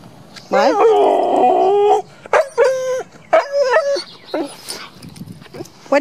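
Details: Pet dog howling at home: one wavering, tonal howl lasting about a second and a half, then a few shorter rising yowls and whines. A person's voice is heard faintly near the end.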